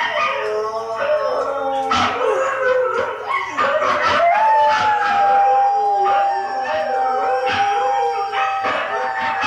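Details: Pet dog singing along with husky howls playing back, layered sustained howls rising and falling continuously, one long steady tone held across several seconds, with yelping voices overlapping throughout.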